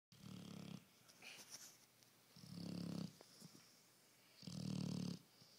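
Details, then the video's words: A sleeping four-year-old female pit bull snoring indoors. Three deep, rumbling breaths come about every two seconds, with quiet pauses between them. "Snoring pitbull"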